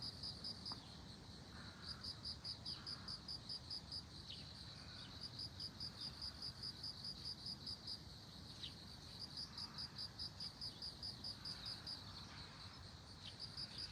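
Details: Bell cricket beside globe amaranth, sounding bright tinkling trains of about a dozen rapid high notes, each train separated by a short pause, continuing evenly against soft low ambient noise.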